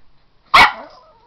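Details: A pet dog at home gives a single sharp, loud bark while being urged to go get a toy. It is short and bright, then trails off, with a person talking just before and after.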